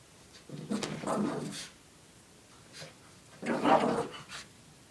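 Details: Shih Tzu Lacey, a pet dog, plays goofily indoors with her pink puppy blanket during zoomies. Two rough, breathy, growly bursts about a second long, separated by quiet rustling, with a brief softer huff between them.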